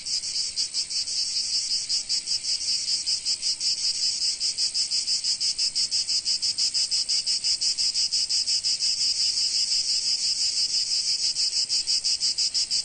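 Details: In sunny summer Provence, a cicada gives a loud, harsh, continuous buzzing song, pulsing rapidly and evenly without a break.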